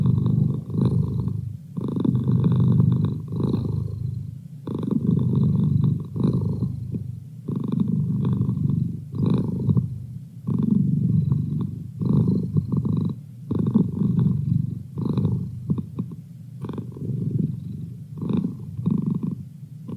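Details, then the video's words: Domestic cat named Merlin purring steadily indoors, a low rumbling drone that swells and dips with each breath, roughly every three seconds, with faint higher buzzing overtones. "Cat Purr"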